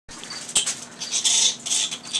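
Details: Captive fruit bats in an enclosure divided by a large mirror set up for enrichment give harsh, high, squeaky chattering bursts, loudest near the end, over soft rustling and one sharp click.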